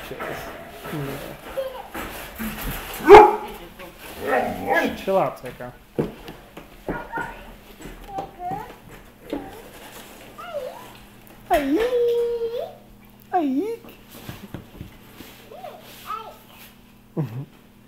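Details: West Siberian Laika, a pet dog, being petted and given affection by people: high, bending whines and short yelps rising and falling in pitch, with one long drawn whine near the end, mixed with people talking close by.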